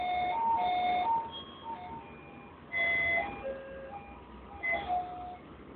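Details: Simple electronic chime melody of bright held tones over faint room hiss, with no animal voice present.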